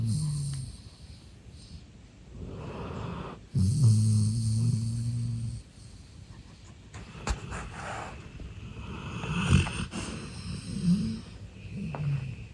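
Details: Relaxed, sleeping male golden retriever Eve lets out one long, loud, low snore lasting about two seconds, surrounded by softer snorts, breathing and a few small clicks and rustles.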